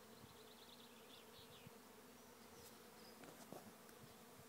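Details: Thousands of honey bees swarming into a trap hive at Lisballyard, Rathcabbin, Tipperary, Ireland; a steady low buzzing hum fills the air, with faint higher whines and a few brief clicks.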